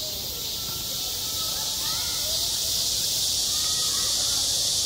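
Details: Summer cicadas calling at a school playground: a steady, piercing buzz fills the air without pause, slightly swelling toward the end, while a few soft sliding tones sit beneath it.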